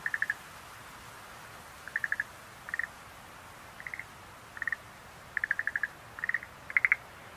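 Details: Schlegel's green tree frog giving short clustered clicks in groups of two to six pulses, repeated roughly every second, against a low steady hiss.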